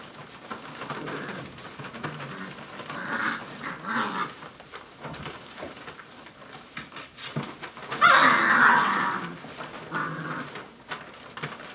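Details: Dogo Argentino puppies, five weeks old, indoors: thin, high whining yelps come in short bursts, the loudest and fullest near the end, over scuffling, pattering paws and faint voices.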